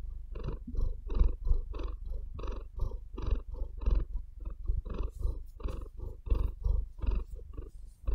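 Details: Close, intimate purring from a pet cat lying on a bed: low vibrating rumble broken into evenly spaced breathy pulses, with brief soft scratching of claws in the bedding toward the end.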